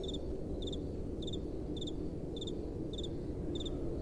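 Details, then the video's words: Crickets calling at night: crisp, high doubled chirps come at a fairly even pace, about one every half second, while a soft wind hums and rushes low underneath. "Relaxing Night Time Sounds | Crickets & Soft Wind"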